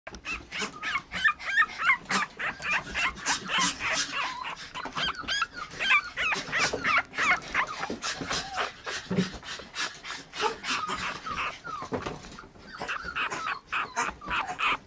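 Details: Red-coated female Toy Poodle puppy born 24 December 2013, expected to be teacup size; rapid, irregular high squeaky whimpers and yips with bending, rising and falling tones, nearly continuous throughout.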